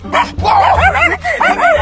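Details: Angry Chihuahua giving a loud, continuous run of wavering, arching whine-growls that rise and fall several times, broken by brief pauses, with a low steady hum underneath.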